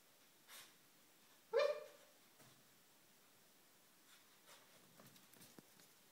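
An Alaskan Malamute puppy gives a single short, high yelping bark in a quiet room.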